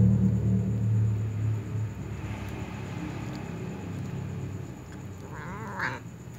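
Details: Little cats meowing around a ginger cat eating a meat ball, wanting to snatch its food; a short wavering, rising-falling meow near the end over steady low rumble and background noise.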